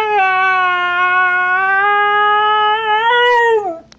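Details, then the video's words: Snow the female husky complaining about her bone stolen by Trixie, an Australian Cattle Dog: one sustained, steady harmonic howl lasting nearly four seconds, rising slightly before dropping away at the end. "Husky complains about stolen bone"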